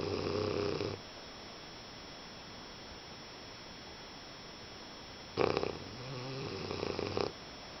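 An English Bulldog snores in two rough, rattling bursts separated by a quiet pause.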